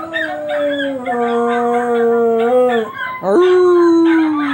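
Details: Pet dog howling at other dogs: a continuous, loud, tonal howl held for nearly three seconds, gently stepping in pitch, then a brief break and a second sustained howl that slowly falls.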